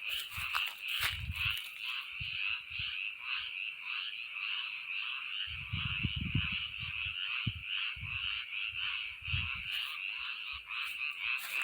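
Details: Many frogs croaking at once in a steady, shimmering chorus of rapid pulsed trills that never stops, with a few soft low thumps and brief scraping sounds underneath.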